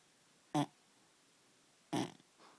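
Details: Sleeping dog that usually snores loudly, here breathing oddly indoors: two short, sharp snorting breaths about one and a half seconds apart, followed by a softer fading exhale.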